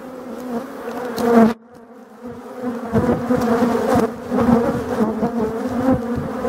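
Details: Colony of black honeybees in a Voirnot hive in the forest, late October 2021, as the hive is readied for winter; loud continuous humming buzz, a sudden drop around mid-clip, then the drone swells again with scattered knocks.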